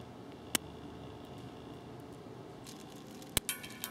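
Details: A large eyed click beetle on a garden retaining-wall sundial in McDonough, Georgia, on 22 July 2020, gives sharp, sudden, well-spaced snapping clicks over a quiet background.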